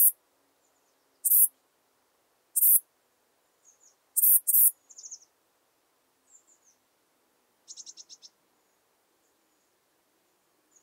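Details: Saddle-backed Bush-cricket, Ephippiger ephippiger, recorded at Pfaffstätten, Austria, on 7 August 2022: loud, very high, hissing chirps, single or in a quick double, spaced about 1.3 s apart, with faint thin high chirps from other insects between.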